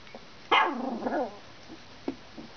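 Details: Two-week-old female Alaskan Malamute puppy (Canis familiaris) in Finland, born November 17th, one of a litter of four, gives a short, wavering whine with a few faint squeaks afterward.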